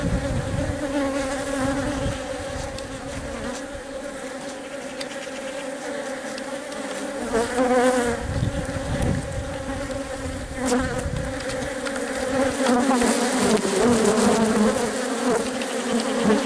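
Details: Hive interior with worker honey bees tending and feeding their egg-laying queen: continuous droning buzz with harmonic layers, swelling louder around eight seconds and again near the end, with brief rustling bursts.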